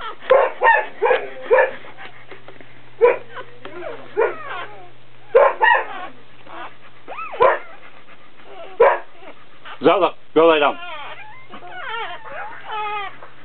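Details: At a Dobermann whelping, with a puppy being born, short yelps give way to a run of high, rising-and-falling squeals near the end, and a soft low hum continues underneath.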